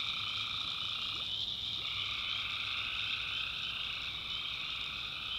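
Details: Night chorus of many tree frogs in a North Carolina backwoods swamp, a steady high-pitched pulsing trill with rapid, slightly uneven repeated notes and a mid-pitched band that breaks off and resumes, plus a soft low rumble.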